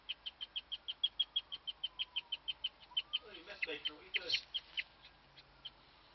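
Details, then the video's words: A hutch-kept female guinea pig gives her rarely heard chirp, an even train of rapid, high-pitched peeps; midway a brief lower, murmuring sound overlaps before the peeps continue and trail off. "my guinea pig chirping"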